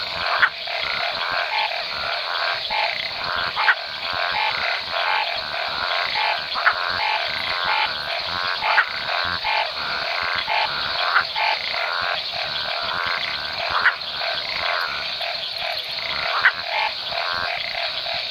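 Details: Map tree frogs (Hypsiboas geographicus) in the Chiquitania lowlands of eastern Bolivia, calling at the mid or end of the rainy season; continuous dense chorus of buzzy pulsed croaks with occasional sharp louder clicks every few seconds.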